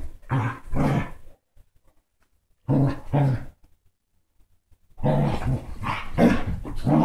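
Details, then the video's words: Basset hound and Dachshund mix dogs play-fighting: three bouts of low, throaty growling, each a pair of rough snarls, separated by near-silent pauses, the last bout longer and more continuous. "Basset hound and Dachshund mix Playing ruff!"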